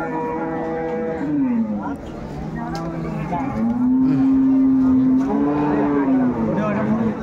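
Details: At a Bangladeshi livestock market, Ambari haat, on 21 May 2024, where dairy cows and calves are sold, a cow gives a brief low moo, then a long, sustained, even lowing that dips at the end, with people talking around.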